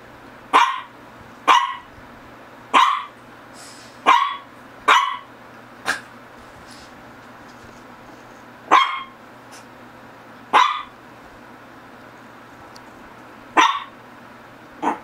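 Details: About a dozen crisp barks from a Shih Tzu of the GGung and SSong pair, coming in irregular bursts, sometimes two close together, then pausing a few seconds, with a faint low hum underneath.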